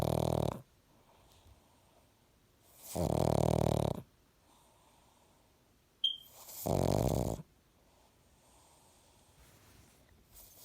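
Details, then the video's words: Pug snoring indoors: deep, rasping snores about a second long, returning roughly every three and a half seconds with quiet breaths between, and one brief high squeak midway. "Pug snores"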